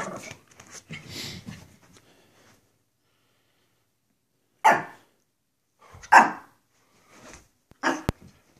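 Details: Pekapom pets Stella, the smaller female, and Moose, the male, being goofy indoors; rough grumbles at the start, then after a silent gap three or four separate high yapping barks spaced about a second apart.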